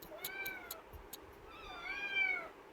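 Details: Pet kitten named Pavi, shut in a cage and meowing to be let out. Two drawn-out, harmonic meows, the second rising then falling, with faint clicks and rattles in the background.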